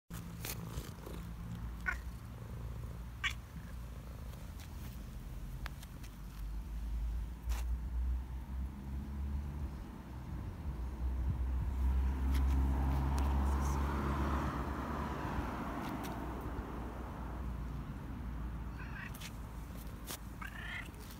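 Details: Cat on the street asking for food, purring in a steady low rumble throughout that swells in the middle, with occasional clicks and faint street noise.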